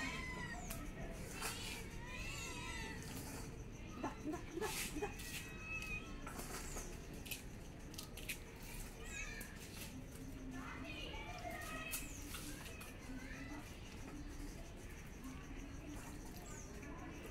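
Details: Cat meows scattered throughout, short harmonic calls that bend up and down, some clustered in quick pairs, mixed with clicks, thumps and low household noise.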